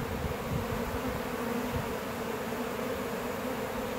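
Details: Honey bee swarm of roughly 20,000–30,000 bees from a one-year-old hive, handfuls being dumped into a hive box on a Saturday morning, June 10, 2017. Dense low steady hum under rustling handling noise.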